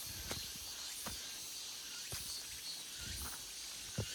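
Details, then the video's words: Cicadas in an August forest fill the air with a steady, high-pitched buzzing chorus, broken by a few soft thuds. "August Forest Full of Cicada Sounds 매미 소리 가득한 8월의 숲"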